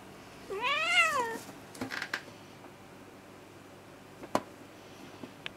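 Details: British shorthair cat, female, indoors, aggressive when disturbed; one drawn-out harmonic meow lasting about a second, rising then falling in pitch, followed by a few faint clicks and taps in a quiet room.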